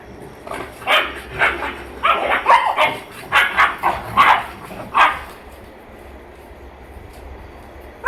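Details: German Shepherd mother with her puppies: a quick run of about ten short, sharp yipping barks over five seconds, uneven in spacing, then a few seconds of near quiet before one last bark.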